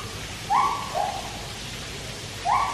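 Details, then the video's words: Captive white-handed gibbons at Taipei Zoo give brief rising hoots, two close together and then one more after a pause, over a steady background hiss. "Tapir Swimming With Gibbons Singing 後場猿聲啼不住"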